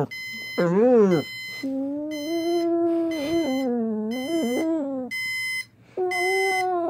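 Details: Pet pit bull howling in reaction to a beeping alarm clock: long, wavering, whine-like howls that rise and fall in pitch, set against a high alarm beep repeating in short regular bursts.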